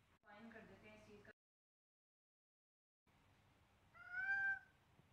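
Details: A person speaks briefly, then after a short silence a seven-week-old Siamese kitten playing with a duckling gives one loud, clear, slightly falling meow.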